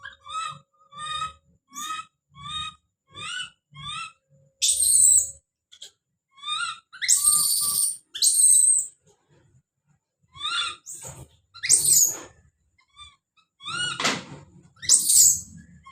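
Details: Don, a baby monkey, calling out in a run of short rising whistled cries spaced under a second apart, broken by several loud rasping screams, with faint low rustling underneath.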